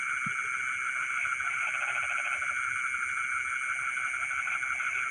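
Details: Night chorus in rice fields, frogs singing in the middle of the night: one short pulsed burst of calls rises midway through a dense, steady hum of other callers, and a single low knock comes at the start.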